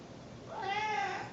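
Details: Female pet Snowshoe cat circling while expecting to be fed gives a baby-like call: one drawn-out, clear, tonal meow that swells and fades over about a second in a quiet indoor setting.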